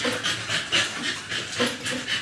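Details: Two-month-old American Bully puppies, just given their second 5-in-1 vaccine, panting in rhythmic breathy bursts about every half second, hissy and airy, with soft background murmur.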